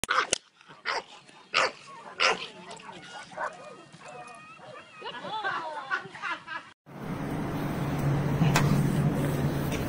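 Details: Black and tan Staffordshire terrier at work, filmed in 2012; sharp barks repeat roughly every half second to second, mixed with people talking, before a loud steady roaring noise takes over the last three seconds.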